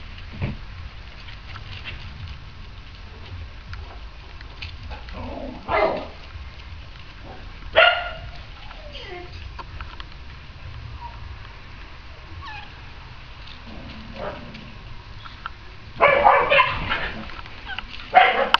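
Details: Lagotto Romagnolo at a lively Christmas party giving scattered sharp barks, single ones spaced a couple of seconds apart, then a rapid cluster of loud barks toward the end, with low room rumble and faint squeaky yips between.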